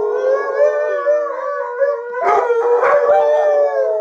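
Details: Alaskan Malamutes Sojou, Fish and Dotty in a shared howl, letting off steam; smooth wavering tones overlap throughout, with a burst of rougher yelping voices in the middle before the steady chorus resumes.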